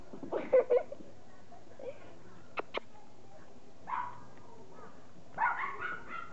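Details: A chow and a Yorkshire terrier at home; short whining barks and yips come in three separate bursts with quiet gaps, while people speak in the background.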